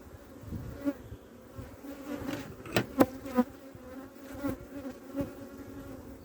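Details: Western honey bee (Apis mellifera) colony in a fast-developing hive in spring gives a steady, low droning hum, broken by a few sharp knocks.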